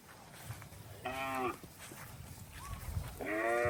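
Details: A cow in rice-field water gives two short, clear, harmonic moos about two seconds apart, with quiet low background noise between them.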